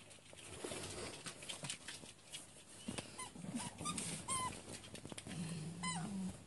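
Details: Three dogs, a Yorkshire Terrier named Lenny and two Chihuahuas, romp wildly together early in the morning; soft low growls and brief thin whines break through rustling and scuffling, with music and laughter faint in the background.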